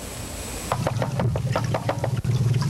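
A walrus underwater gives a rapid series of knocking pulses over a low rumble.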